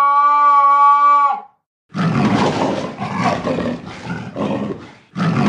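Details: Leopard roar: after a brief clear tonal note, a series of rough, rasping bursts repeated roughly every second, each one harsh and low-pitched.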